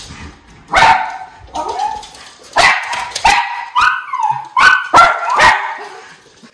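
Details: Two Miniature Schnauzer brothers in Aroostook County, Maine, erupting at a river otter seen up close: a rapid run of sharp barks mixed with whining yelps, about eight bursts in under seven seconds.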